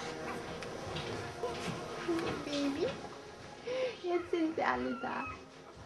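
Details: Samoyed puppies of the Roughdiamond E-litter, born December 11, 2009, with their mother Ayla. Short, thin whining squeaks bend up and down in a loose series, alongside a woman talking in German and faint music.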